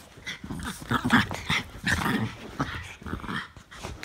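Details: Two Norfolk Terriers wrestling in play, as they do nearly every day, indoors; rough overlapping growls and snarls in quick bursts, rising and falling in loudness throughout.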